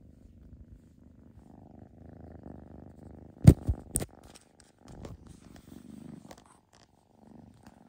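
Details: Soft purring from foster kittens during socializing, quiet low rumbles in short stretches, interrupted near the middle by two sharp bumps of handling noise.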